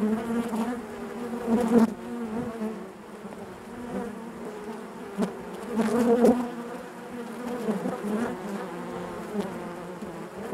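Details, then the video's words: Honey bees buzzing inside their hive, a dense continuous hum with overlapping drones and swells that rise and fall every few seconds, louder surges near two and six seconds. "bees therapy hive natural buzzing sound"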